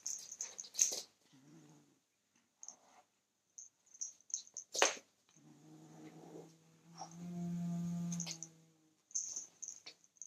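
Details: Kitten guarding his toy against a person trying to take it: after scattered clicks and rustles, a long, steady, deep growl rises and holds for several seconds before breaking off.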